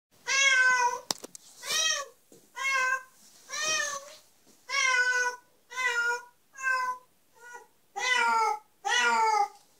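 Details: Kitten meowing indoors, a series of about ten clear, slightly wavering meows, each under a second long and spaced roughly one second apart, some louder and some softer.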